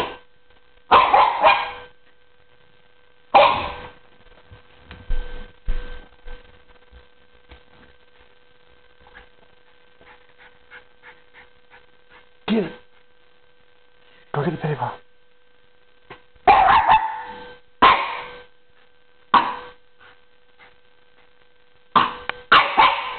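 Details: Andy, an 8-month-old male Norwich Terrier, chasing his pedi paws before his manicure: bursts of sharp, rough barks and yips in quick clusters with pauses between, a person urging "get it" and scuffling sounds.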